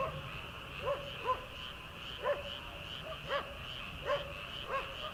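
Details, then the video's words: Rice-paddy frogs in early summer, ahead of rice transplanting: sharp arched croaks repeating roughly every half second to second, backed by a steady ringing chorus of distant callers. "초 여름 개구리 울음소리/ 논에서 들리는 개구리 소리"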